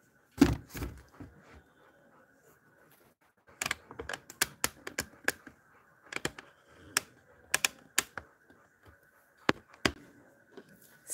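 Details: Sharp knocks and clicks come at irregular intervals over a faint steady hum indoors, with no animal call heard.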